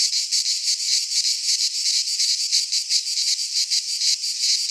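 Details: Greek pine forest cicadas in midsummer: a loud, sizzling high drone throbbing in quick rhythmic beats, around three each second, steady and unbroken from start to finish.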